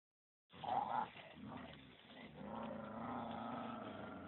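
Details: Dog on a walk at Phuket Dog Resort, where Samoyed XASCA takes Thai-mix FELIX out; a short, rough, harmonic growling vocalisation rises from faint background noise, then a steady lower murmur continues to the end.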